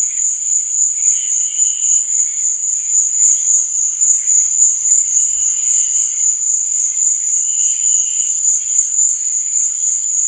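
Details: Nighttime cricket chirping: a bright, sustained high trill running the whole time, with brief softer chirps rising every couple of seconds at a lower pitch.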